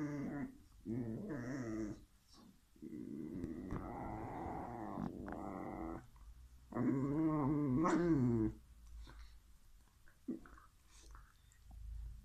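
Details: Pair of domestic whippets quarrelling over who gets a bone, growling in several bursts: wavering, throaty rumbles of one to three seconds each, the loudest a rising and falling snarl midway, then quiet gaps.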